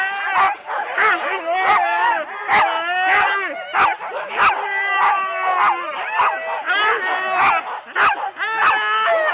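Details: January 2016 at Rendlesham, Husky sled teams of four dogs at the start, captured on analogue cassette. Repeated sharp barks, about one every half second, over a constant wash of high whining yelps from the pack.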